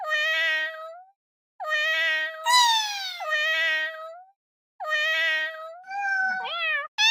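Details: Domestic cat giving long, steady meows of about a second each with short pauses, one louder, brighter and falling-pitched meow overlapping mid-sequence, and a final call bending upward before a sharp new cry.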